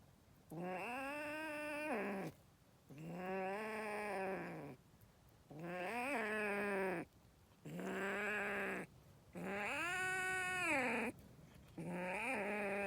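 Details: An angry kitten yowls six times in a row. The calls are long, nasal and wavering, each roughly one and a half to two seconds, with brief pauses between them, and no other sounds compete.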